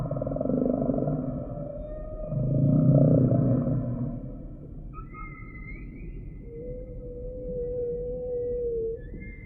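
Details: Humpback whale song: a loud low moaning unit swelling around three seconds, then thin high whistled notes and a long steady mid-pitched tone near the end, over a deep underwater rumble.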